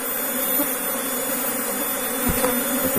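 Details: Kept Apis cerana honey bees, a colony recently brought from another region, humming continuously in a dense, even low drone with faint broadband hiss throughout.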